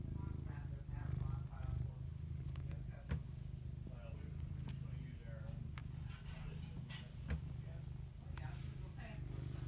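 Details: Continuous low, throbbing purring from a cat fills the recording, broken by occasional soft higher murmurs and brief tapping noises.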